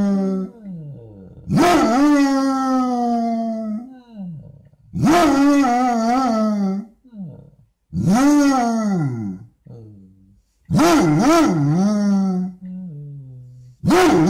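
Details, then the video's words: A Basset Hound gives long, wavering moaning howls in the morning, each lasting a couple of seconds with short pauses, like a "conversation"; the owner guesses the dog did not sleep. "Hilarious morning &quot;conversation&quot; of one dog basset hound"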